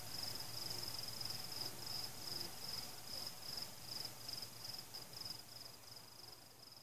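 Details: Night-time cricket song during fireworks, with no people, pets or cars: a high, shrill trill pulsing in quick, fairly even bursts several times a second, with only a faint low rumble underneath and no firework blasts.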